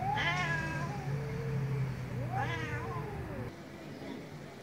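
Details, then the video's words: Angry cat meowing loudly, two short strained meows rising then falling, the second sliding upward sharply, over a steady low hum in the background. "MAULLIDOS de GATOS ENOJADOS 😾🔊 ¡Gatos Maullando Fuerte!"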